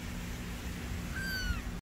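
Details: A single high, clear meow from a Persian kitten, held briefly and then falling away, heard above a constant low background hum.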